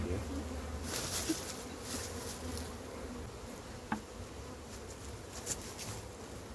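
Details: Massive wild honey bee hive during capture: a constant low droning hum from the swarm, overlaid by scattered clicks and brushing knocks from handling, with one sharp tap near the middle.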